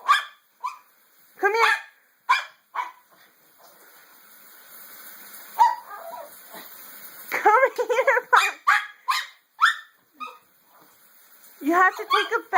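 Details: Domestic dog that hates baths, at bath time, barks in short repeated bursts, with clustered yelps between; a woman speaks and coaxes her to come indoors.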